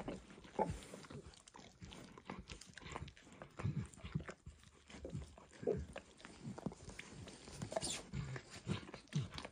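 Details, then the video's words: Dog licking food from a bumpy orange lick mat, starting with eggs and ending with diluted peanut oil: wet smacking licks and occasional chewing-like clicks, irregular and steady, low thuds among them, no speech. "ASMR Dog Licking"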